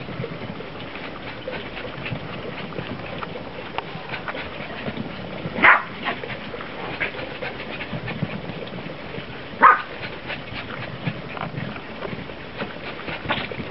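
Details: Two Shih Tzu crosses chasing each other in the snow; two short, sharp barks about four seconds apart stand out from a steady background hiss.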